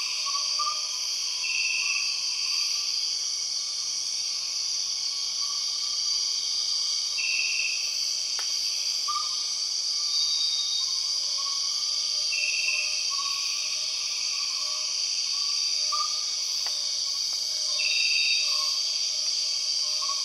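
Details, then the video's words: Empress cicada, the largest cicada, in the Borneo rainforest, also known as the 6 o'clock cicada: a steady, shrill high-pitched drone with short brighter bursts recurring roughly every five seconds, and fainter lower chirping notes from other rainforest callers. "The weird sound of empress cicadas"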